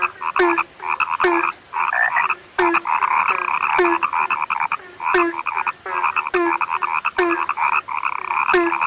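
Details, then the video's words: Chorus of frogs, said to be a rarely heard sound now, giving rapid rhythmic croaks with brief pauses between bursts, layered over a rattling, buzzy trill that swells and fades. "SUARA KATAK YANG SUDAH LANGKA"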